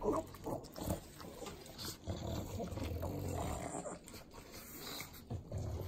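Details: Three pug dogs in Southern California eating butter: wet, sloppy licking and smacking clicks with low, rough snorts and grunting breaths, in uneven bursts.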